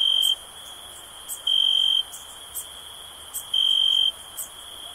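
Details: Shrill cricket trilling. A continuous high buzz is broken by three louder, bright bursts in five seconds, each lasting about half a second, with light ticking sounds between them.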